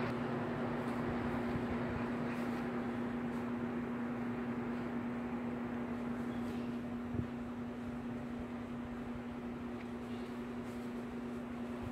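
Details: Steady fan-like hum and broadband room noise with a constant low drone, no animal sounds heard.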